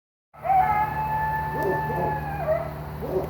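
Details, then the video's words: Suspected coyote yowling at night near a driveway, loud enough to hear indoors: a long steady high tone with harmonics holds for about two seconds, then dips, with short barking yelps mixed in and a low steady hum beneath. "What is This Thing Making These Sounds Tonight, Coyote? (Was Near The Driveway)"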